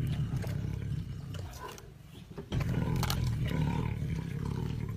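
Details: Tiger roaring: a deep, rumbling low-pitched growl with throaty pulsing that fades briefly midway, then surges back loud and sustained to the end.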